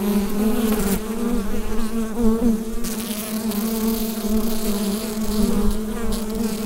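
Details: Steady buzz of a bee hive, picked up with a Rode NT-USB microphone; a level, sustained low drone with a rich layered hum and occasional soft crackles.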